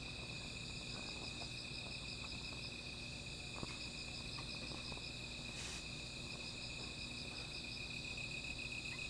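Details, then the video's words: Insects calling at night beside a small fire: a steady, shimmering chorus of high, finely pulsed trills layered at several pitches, unbroken throughout, over a low background rumble with a few soft crackles and one sharp click. "Sound of Insects"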